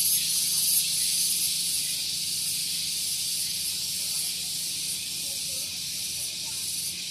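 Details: A cicada (tonggeret) gives a very loud, continuous, shrill, hissing buzz barely changing in pitch or loudness, on a morning at Gunung Geulis, Bogor, West Java, near a vehicle parking area.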